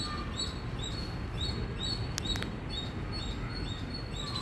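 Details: Indian squirrel chirping loudly: a steady train of short, high, thin chip notes, about two or three a second, with a brief double click near the middle over a constant low background rumble.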